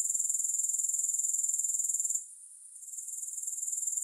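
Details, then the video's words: Grasshoppers produce a high, pulsing insect trill at about four beats per second. The sound fades out for half a second partway through, then gradually returns to full strength. "3 Hours of Grass Hopper Sounds"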